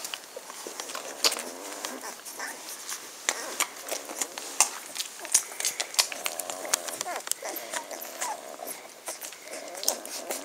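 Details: Ten-day-old Magyar Vizsla puppies of the B litter vom Elsterhaus, 23 May 2015, give thin wavering whines and squeaks that rise and fall, mostly in the later seconds, over steady rustling, shuffling and sharp clicking from the litter.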